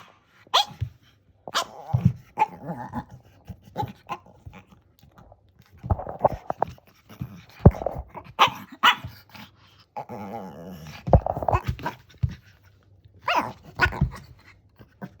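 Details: Shih Tzu during a dog lesson giving its 'nice gao' voice: a run of short, rough, bark-like bursts in irregular clusters over about fifteen seconds, with brief pauses between groups and a quiet room.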